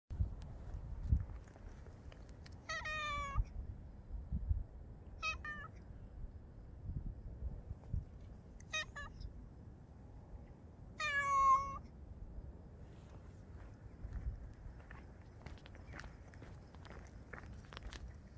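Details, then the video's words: Grey and white cat meowing four times, each meow a short harmonic cry rising then falling, spaced a few seconds apart, over low background rumble and faint clicks. "חתול אפור לבן מיילל A grey white cat meowing"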